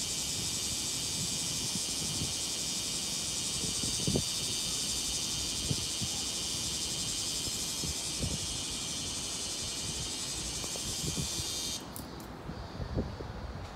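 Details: Bear cicada, whose song at Tsukudabori in Japan reportedly differs from Kansai cicadas, recorded 17 August 2018 just before 10 a.m.; sustained shrill buzzing for about twelve seconds, then cutting off suddenly, with low background thumps.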